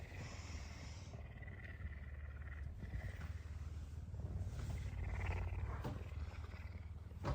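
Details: A hungry pet puma purrs loudly in the morning, head-butting its owner and insistently demanding food. Its rapid, deep, pulsing purr is steady for the whole stretch, with rustling and a woman's voice in the background.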